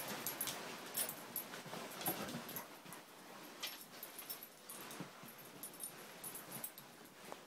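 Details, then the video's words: Siberian Husky puppies Angel, five months old, and Riley, three months old, wrestle in play. Brief whimpers and yips come in quick uneven bursts amid scratchy scuffling and rustle. "Husky pups playing"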